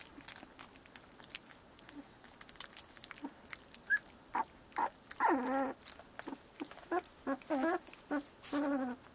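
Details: Bordoodle puppies, 17 days old, give a run of short wavering whines and squeaks that grow louder and come closer together in the second half, over light clicking and rustling.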